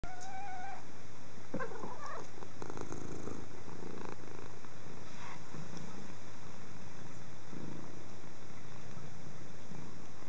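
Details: Sofus, a red and white bicolour pedigree Persian kitten from a 2012 litter, purring in a steady low rumble throughout, with a few brief higher squeaky sounds near the start and a constant background hum.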